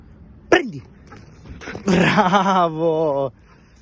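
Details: Golden retriever puppy named Leo during training, giving a sharp yelp followed by a drawn-out, wavering whine lasting over a second, with a person's voice giving commands in Italian.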